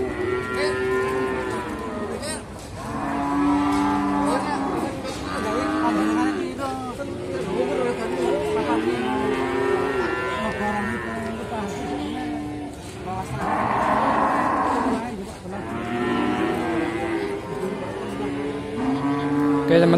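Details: Simmental calves at the Sukorejo animal market in Kendal, Indonesia, mooing again and again in overlapping, arching bellows from several animals, with market chatter and crowd noise behind.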